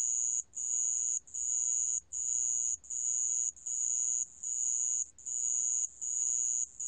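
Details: High, piercing insect trill from a sand cricket, delivered in steady chunks of roughly 0.7 seconds with brief breaks between them, very even in rhythm; nothing else audible.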